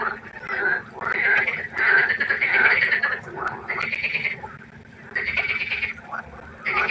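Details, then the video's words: Night frog chorus at a pond: bursts of raspy, pulsed croaking lasting about a second each, separated by quieter gaps, several frogs overlapping. "1 Stunde Froschkonzert. Frosch Geräusche quaken."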